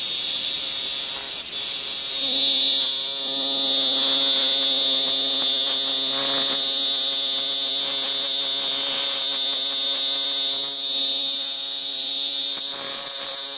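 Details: A robust cicada (minmin-zemi, Hyalessa maculaticollis) sings a loud, shrill, pulsing drone in repeated 'meen-meen' waves on a tree trunk in a small park by a railway-side housing estate in Kitano, 23 Aug 2024; its call changes once caught in hand.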